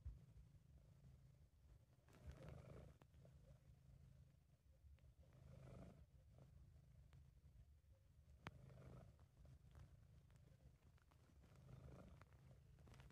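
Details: Low, soft purring from Sabu, a relaxed and contented British Shorthair, in an amateur recording. A steady throaty rumble rises in gentle waves roughly every three seconds as the cat breathes, with occasional small ticks and rustling.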